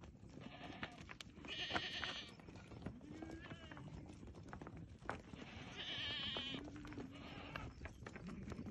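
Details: Goats in a herd of thirty with three young, offered for sale: two drawn-out wavering bleats with harsh overtones, one near the start and one in the second half, over rustling, shuffling and faint background noise.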